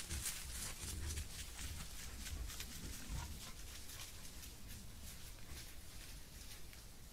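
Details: A herd of wild boar foraging for food in Casentinesi Forests National Park, Italy, caught on a trail camera: low, soft grunts come in short bursts over rustling and crackling in the undergrowth.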